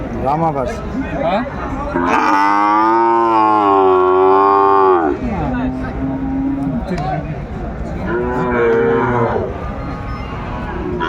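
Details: Sahiwal calves at the Aftabganj cattle market in Kurigram, Bangladesh; a loud, sustained, richly harmonic moo of about three seconds, then a lower shorter call and another moo, with faint crowd noise.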